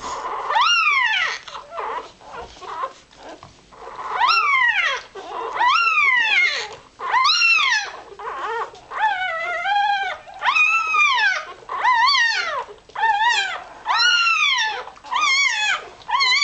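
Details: Irish Terrier puppy a few hours old squeaking while searching for warmth and milk: loud, high, arched squeals that rise and fall, repeated in bursts every second or two with short pauses between.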